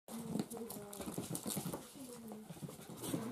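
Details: Chihuahua puppies whining: several thin, overlapping whines that glide up and down in pitch, with short squeaks scattered through the few seconds and faint background rustling.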